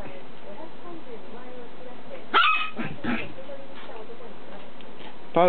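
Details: Pet dog, either the Maltese Pearl or the toy poodle Kohaku, gives one short, sharp, harmonic yip midway and another brief one at the very end, over a steady low background hum with speech nearby.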